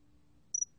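A cricket gives two quick, very high, thin chirps in close succession, with a third just starting; a faint low hum runs underneath.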